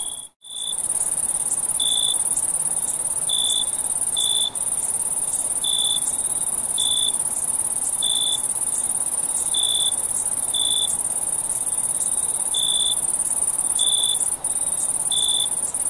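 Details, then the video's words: Crickets at night in a summer forest: after a short dip at the start, evenly spaced high chirps recur about once a second over an unbroken shrill background hum. "Natural Night Cricket Sound"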